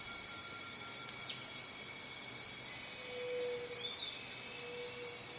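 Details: A cicada's shrill, level drone runs without pause, with a faint thin tone and a couple of soft low whistles in the background.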